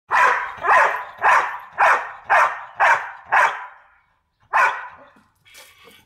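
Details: American Staffordshire Terrier under a trainer, Rome, 2013, barking loudly in a steady series: seven sharp barks about half a second apart, a pause, then one more bark, with faint noise afterward.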